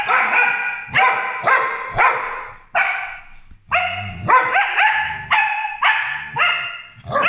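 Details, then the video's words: A pair of pet corgis bark at their helper indoors, loud ringing barks repeated almost twice per second in overlapping runs, with a brief lower growl-like sound in the middle. "Lily and Skye barking ar our helper to see if he is doing a good job"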